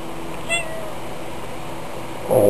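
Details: Tiger, a talkative domestic cat trading sounds with a person indoors, makes a brief, thin meow early on, followed near the end by a human voice speaking.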